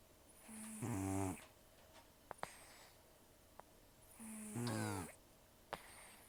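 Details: Heavy snoring from Taro, an elderly rescued cat with few teeth left after gum disease: two coarse, buzzing snores about three and a half seconds apart, separated by small clicks in a quiet room.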